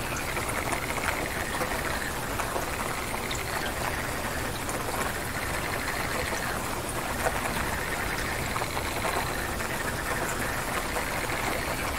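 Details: Steady, dense rainfall with trickling water throughout, no distinct animal calls.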